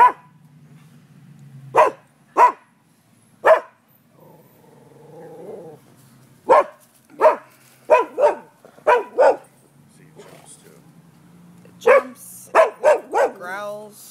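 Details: Neighbourhood dogs barking around noon on 5 November 2015: sharp, loud single barks come in scattered bursts, sparse at first, then a quicker run of about eight barks, with a low hum and a brief murmur between them.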